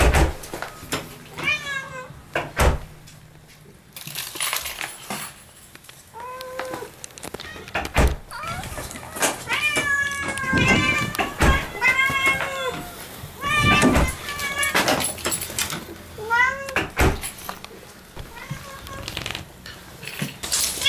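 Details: Pet cat named Moo meowing at the front door to welcome her owners home indoors; a rapid series of short bent meows, some rising then falling, repeated through the stretch amid door clatter, footsteps and household noise.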